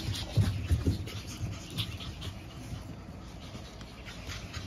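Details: Pug puppies, a litter of five siblings born April 17 and full of energy, heard as close, low, rough snuffling and snorting breaths, louder in the first second and then softer and steady.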